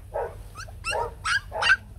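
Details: White fluffy Bac Ha puppies, a native Vietnamese breed, from a family of two parents and three pups, seeking their mother: four short yelping cries, rising in pitch and loudness over two seconds, over a low steady hum.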